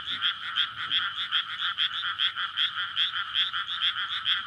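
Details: Frogs in a flooded paddy field on a May night, calling in courtship before spawning; loud, crowded croaking swells and dips in rapid, slightly uneven pulses about two or three per second, recorded on a SONY PCM-D100 recorder.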